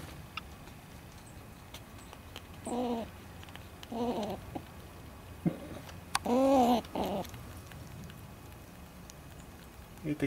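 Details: Squirrel stealing seed from a bird feeder on a front porch, making little noises: a few short whiny harmonic calls roughly a second apart, a longer wavering one in the middle, with quiet background between.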